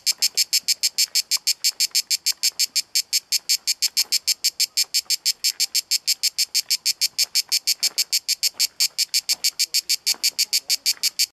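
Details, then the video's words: On Corfu in Greece, at Kaiser's Throne in Pelekas, a cicada keeps up a harsh, high-pitched pulsing buzz, around three beats per second, evenly spaced and unbroken for the whole stretch. "Cicada sound in HD video in Corfu Greece"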